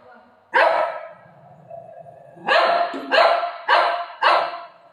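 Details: Pet dog at home, barking while the mother of the household grows annoyed: five loud, harsh barks, the first alone and the rest in quick succession, with a woman speaking quietly in Marathi in between.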